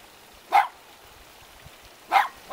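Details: Two cute dogs standing guard at a house in the mountains near Jeonju, North Jeolla Province, Korea; two sharp, separate barks about one and a half seconds apart over a quiet, faintly hissing background.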